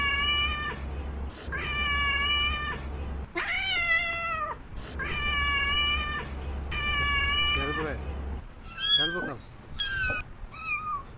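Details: Domestic cats meowing: a series of clear, drawn-out meows about every second, some wavering and falling in pitch, followed by higher, shorter, squeaky mews, with a low steady hum under the first part.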